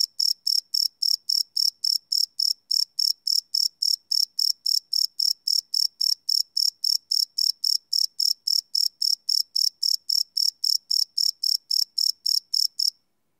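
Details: Crickets chirping at night, recorded live on a Sony PCM D100 field recorder: a steady train of high, bright pulses, roughly three to four per second, with no other sounds intruding.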